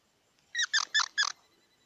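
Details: Four quick, evenly spaced harsh chirps from a squirrel, rich in overtones, each about a tenth of a second long, against a quiet background hiss.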